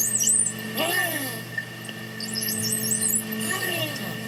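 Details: Two pairs of male bottlenose dolphins compete, giving harsh, coordinated, synchronized screeches with rising and falling whistle sweeps.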